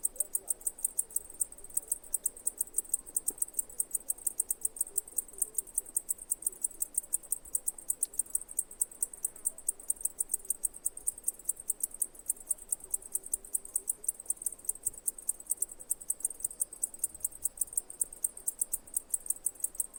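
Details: Cicada chirping: rapid, very high-pitched ticking pulses, many per second, running steadily and evenly through the whole stretch over a quiet background.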